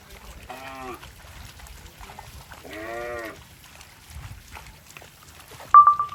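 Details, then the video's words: Cow passing through water in rice fields, uttering two short rising-then-falling nasal moos, the second longer and louder, with quiet splashing between and a sharp high tone at the end. "Funny Cow Sounds Passing Water in Rice Fields"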